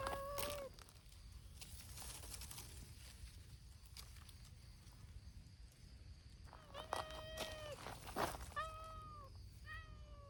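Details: Abandoned community cats from a brown-tabby-and-white gang gather outdoors in Japan, giving a string of short meows, the first alone then four quick cries near the end, over low rumbling background noise and scuffles.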